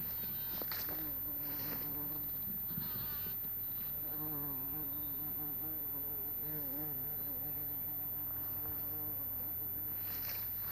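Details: Bumblebee recorded on 26 April 2017 around 11:45, giving a low droning flight buzz whose pitch wavers up and down, strongest in the second half, over a steady low background hum.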